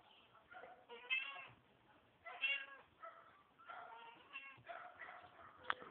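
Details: Mother cat cleaning her kittens, with a run of high, wavering meows with clear harmonics, several loud cries around one and two and a half seconds, then a steady string of shorter mews through the end.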